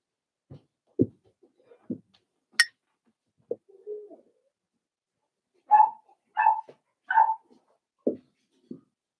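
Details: Cavalier King Charles Spaniel puppies, four weeks old, in an indoor puppy pen: scattered soft thumps and clicks, then three clear, whiny yelps in a row, followed by more muffled knocks.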